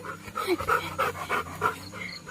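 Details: Labrador Retriever, described as loving to go out for walks, panting in quick, breathy bursts of about three per second, with faint tonal rasps in some breaths.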